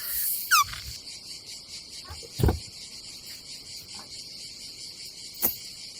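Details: Cicadas on a summer day at a campsite above the Adriatic Sea in Croatia: a steady high-pitched buzzing drone runs throughout, broken by a brief squeal near the start and a few dull thumps and knocks.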